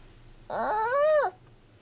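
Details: Hand-reared giant panda cub Yuan Zai, whose recorded calls were played to mother Yuan Yuan to keep her caring: one loud, tonal, wavering cry lasting under a second, sliding up and arching down, in a quiet room.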